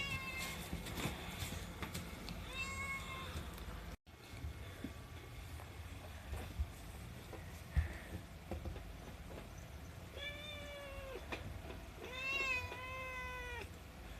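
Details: A 7-month-old female Himalayan cat meows repeatedly and noisily, impatient for her food; the voice is rather quiet and a child's voice is also heard.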